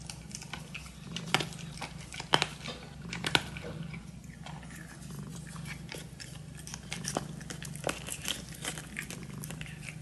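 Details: As a Dragon Li kitten feeds, a steady low purr runs underneath irregular crunching and biting clicks that come roughly once a second.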